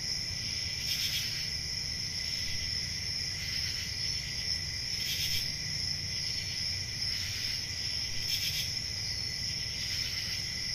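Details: Crickets at night in summer countryside, a constant piercing high trill with a second lower whirring band, broken by louder rhythmic chirp bursts about every two seconds; gentle low-frequency background noise throughout.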